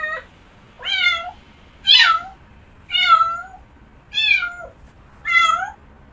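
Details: Domestic cat meowing repeatedly: six short, bending meows, each rising then falling in pitch, spaced roughly one second apart in a steady rhythm, with little else audible.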